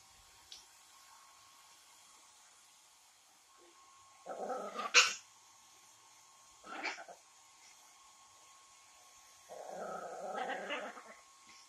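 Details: A Yorkshire Terrier after her bath fighting the hair dryer: three short, rough growling bursts with yips, separated by pauses, over a steady high whine of the dryer.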